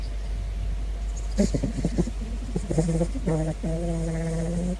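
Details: Big Floppa, a caracal, curious about a balloon, makes a few short grunting notes, then drawn-out, low, harmonic moaning calls that hold steady for over a second. Faint background hum throughout.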